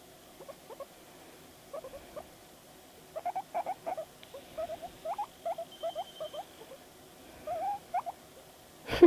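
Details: Pet guinea pig named Panda calling in response to videos: short upward-sweeping squeaks in loose bursts, some quiet, a faint steady high tone behind and a brief click at the end.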